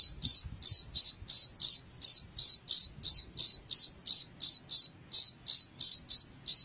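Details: Cricket chirping, played to drive rats from a house: short, high, shrill pulses repeated steadily, about three each second, with a faint low murmur underneath.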